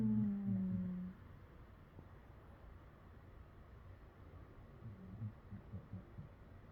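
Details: Dougie, a rescued Patterdale Terrier, napping at midday and making noises in his sleep: one drawn-out, nasal whine sliding slightly downward for about a second, then only faint murmuring in a quiet indoor room.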